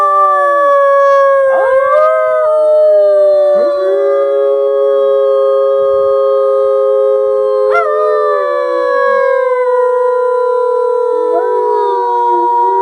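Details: Wolf howling in a predator experience; a chorus of sustained, clear howls layered at different pitches, some bending up then easing down, with short falling wavers breaking in every few seconds.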